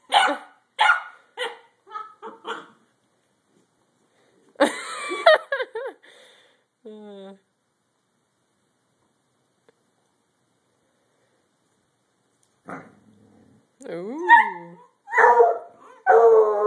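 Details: Two Redbone Coonhounds playing give short, sharp barks in quick bursts while a person urges them on, one having taken the other's hide toy.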